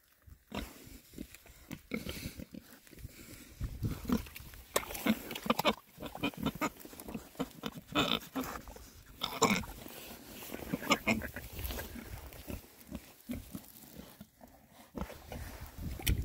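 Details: Rare-breed Oxford Sandy and Black pigs, six males, on a winter forage between storms; scattered short oinks and snorts sit among heavy rustling, crunching and rooting sounds.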